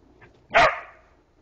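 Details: Border collie named Moxie, out on a forest walk, trying to get a young deer to play with her after waking it: one sharp, loud single bark, preceded by a faint short sound, then quiet.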